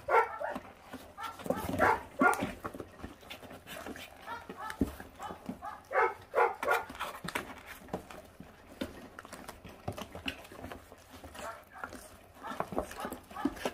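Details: Five 28-day-old feral puppies, brothers, on guard while eating raw meat down to the bones; harmonic growling and barking bursts in uneven runs, overlapping with a person's speech and chewing noises in a small room.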